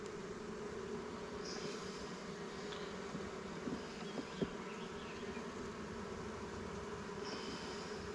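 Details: Steady swarm-like humming of honey bees over a hive frame laden with honey and pollen, recorded while a beekeeper strengthens newly caught swarm hives; faint high chirps and light taps sit above the buzz.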